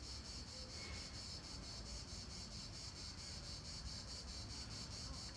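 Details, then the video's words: Late-July 2017 cicada song at the Palais du Gouverneur park in Nancy, France: a continuous high rasping buzz with regular rapid throbbing, one brief faint squeak near the start, and a low background rumble. "Cigales à Nancy, fin juillet 2017; parc du palais du Gouverneur."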